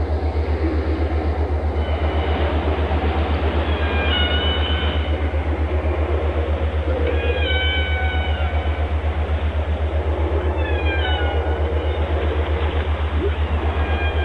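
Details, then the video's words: Whale singing in stacked, tonal phrases that slide down in pitch, heard around 2, 4, 7 and 10 seconds, with a constant deep mechanical pulsing, roughly four beats per second, underneath throughout. "Walgesang canto das baleias песни китов 鯨歌 שיר לווייתן whale song व्हेल गीत أغنية الحيتان"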